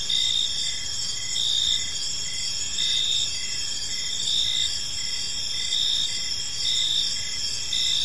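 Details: Crickets in a serene park at dusk, sustained high-pitched trilling with rhythmic louder pulses recurring every second or so, several callers blending together above a muted low hum.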